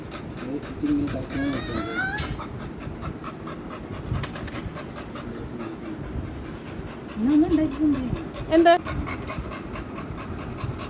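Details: Pet American Bully Mikku, happy to be taken out travelling; brief high whines and short rising whimpers in two bursts, between stretches of panting, amid steady chatter from people nearby.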